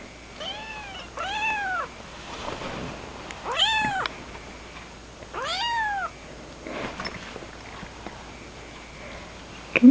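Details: Young kittens, one a little male, meowing indoors: four drawn-out, arching meows spaced a second or two apart, rising then falling, with soft fainter mews in between and quiet background hush.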